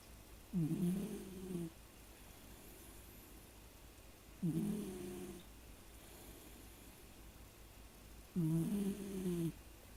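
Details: A Shiba Inu dog asleep indoors gives three low, rough snores, each about a second long and spaced roughly four seconds apart, with quiet breathing between them. Its owner says it usually snores more heavily than here.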